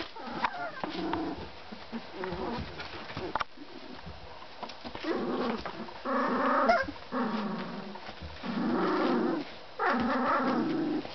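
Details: Hungarian Vizsla puppies from a Czech kennel: repeated drawn-out whining and whimpering cries about a second long, with short yips and growly noises in between.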